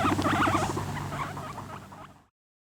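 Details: Male guinea pig attacking a female while trying to mate, a fight recorded in 2013: rapid harmonic squeaking and chattering calls with low rumbling, loud at first, then fading out after about two seconds into silence.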